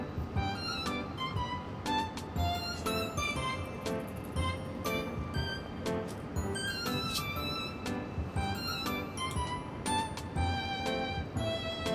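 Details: Upbeat instrumental music with plucked and chiming notes plays steadily throughout, with no animal voice audible.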